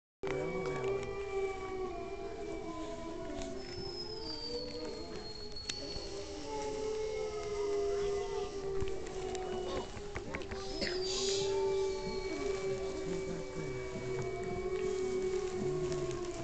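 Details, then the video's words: Several gray wolves howl together at Bays Mountain Park in long, sliding, overlapping tones; the howling came unexpectedly and is faint, recorded in haste. "Gray Wolves Howling at Bays Mountain Park"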